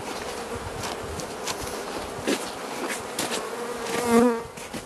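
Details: Carniolan honey bee hive opened for Mountain Camp feeding in southern Finland, 16 March 2017, +3 C: a constant droning hum, and near the end a louder wavering tonal sound that swells, then fades.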